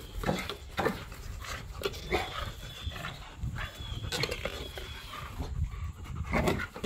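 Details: Back-yard play between three pit bull dogs and a Malinois, tugging toys and wrestling; breathy panting and short gruff growl bursts come in uneven pulses, with a thin squeaky tone drifting over them.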